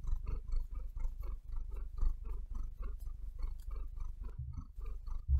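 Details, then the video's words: Maia, a domestic cat, purrs in a steady rhythmic rumble, each breath marking a regular soft pulse, heard very close in a quiet room with a slight rustle of bedding. "Cat Purring"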